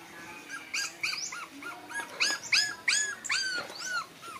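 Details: Arching, whining cries from puppies, one of five in the litter white, rise and fall in pitch, coming roughly twice a second with overlapping voices over a faint background hiss.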